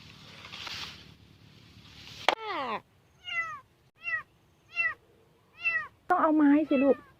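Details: Lost kitten crying from a rice field on 9 August 2023 while a family searches for it: a series of high, downward-arching meows, roughly one every 0.7 seconds, ending in a louder wavering cry, with sharp knocks in between.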